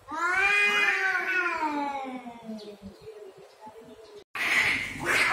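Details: Cats in a fight over territory: a loud rising-then-falling yowl with rich harmonics slides down and fades, a brief silence follows, then a harsh hissing burst breaks in.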